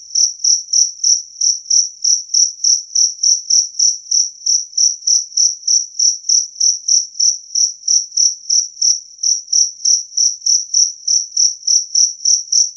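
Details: Two-spotted cricket chirping clearly and loudly: a steady train of short, shrill, high-pitched chirps, about three per second, evenly spaced and unbroken, with no other sounds.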